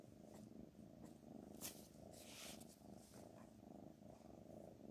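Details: Domestic cat purring softly and steadily, a low rumbling pulse running continuously through the clip, with a few faint clicks and rustles above it.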